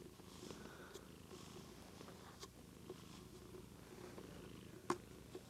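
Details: Soft, continuous low purring from Daisy, a small white domestic cat, recorded on a Lumix GH2; the steady rumble carries faint scattered clicks and taps.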